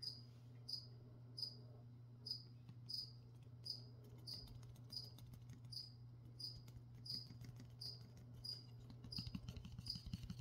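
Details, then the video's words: A cricket keeps up high, sharp chirps about every second during plant spraying. Quick tapping and patter sounds grow busier toward the end under a steady low hum. "Spray and Chirp (some whispering | spraying plants | cricket)"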